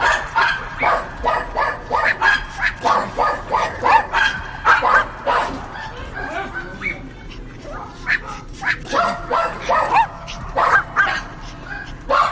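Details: Dogs barking in quick, sharp bursts, several per second, with a quieter stretch midway before the rapid yapping resumes; some whimper-like notes are mixed in.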